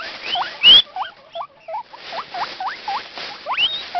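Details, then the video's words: Guinea pig Taemin wheeking loudly from excitement each morning as the food bag is moved, with two other guinea pigs nearby and a dog clicking in the background: a rapid series of short, hooked, rising squeals, about nine in four seconds, plus one loud rustle. "Whistling / Wheeking Guinea pig"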